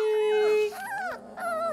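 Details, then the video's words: Three-week-old Labrador Retriever puppies in a litter give a steady, drawn-out whining note that breaks into wavering, bending whimpers, with other pups' cries overlapping. "Puppy Cacophony"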